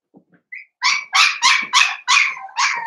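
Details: Cavalier King Charles Spaniel puppies, a blenheim litter playing with mother Paris in their pen: after a few soft squeaks, six loud, bright yapping barks follow at a steady quick rhythm, roughly three per second.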